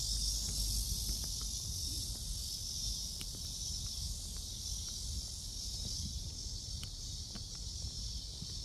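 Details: Cicadas calling around 11 am on July 11 in Seoul Innovation Park, recorded during a walk; a steady, dense, high-pitched hissing drone runs unbroken throughout, with light footsteps clicking in the foreground.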